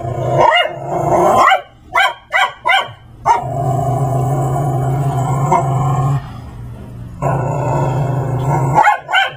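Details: Max, a Brussels Griffon dressed in a raptor Halloween costume, harasses Layla the Persian cat indoors: a run of short sharp barks and yips, then a long stretch of steady low droning with rising tonal whines layered over it, and more yips at the end.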